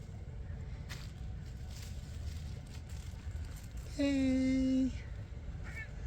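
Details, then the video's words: Homeless, hungry stray cats asking for food at night: one sustained, flat, harmonic meow of about a second rises above steady low hum, followed by a faint higher call, with a person's voice nearby. "Homeless hungry stray cats ask for food at night"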